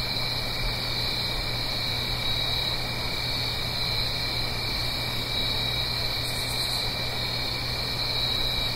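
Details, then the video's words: Crickets on an autumn night, Blue Ridge Mountains, near a gentle stream. An even, ringing high chorus holds steady while a brief, very high, pulsing rasp sounds near the six-second mark, over a continuous soft rushing noise. "Autumn Crickets - 9-Hour Sleep Sound - Fall Cricket Song"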